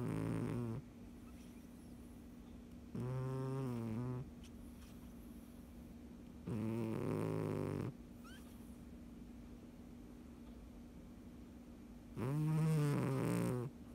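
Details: Sleeping domestic cat snoring steadily, low throaty rattling breaths of about one to one and a half seconds, repeating roughly every three to four seconds, with quiet stretches between them and a faint steady hum in the background.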